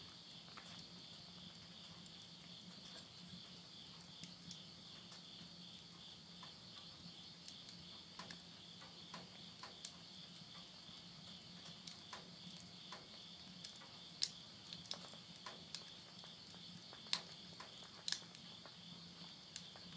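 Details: Late-summer insects calling at midnight near a rural house in Tottori, Japan, September 2020: a continuous high-pitched ringing trill holds steady, while sharp snaps from a bonfire in the stove crackle unevenly over it.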